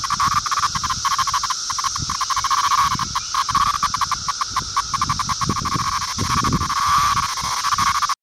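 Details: Male 17-year periodical cicada of Brood II, Virginia, summer 2013, held in the hand after being picked up: a loud, harsh, continuous buzzing rasp with rapid pulsing, steady through the clip, with soft low thumps from handling.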